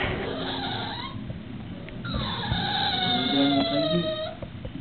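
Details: Sookie, a female English Bulldog tied up for being naughty, whines to be released: a short high whine, then a long, tonal, slowly falling whine lasting about two seconds over a steady low rumble.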